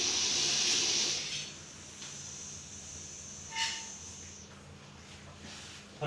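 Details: A Russell's viper, deadly venomous and caught in Coimbatore, lets out a strong rushing hiss lasting just over a second. Quieter background follows, with a brief faint tone and soft noises.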